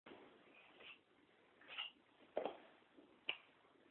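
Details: Chester the cat sneezing indoors: short, sharp, explosive bursts, two strong ones about a second apart after softer snuffly puffs, against a quiet background.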